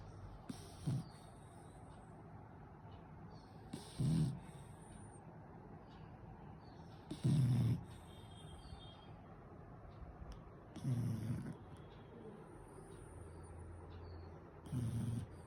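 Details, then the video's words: Beagle asleep and having nightmares, making funny noises: low snorting, huffing sounds near the bottom of the range, repeated about every three to four seconds with quiet gaps between. "Beagle dogs make funny noises in sleep"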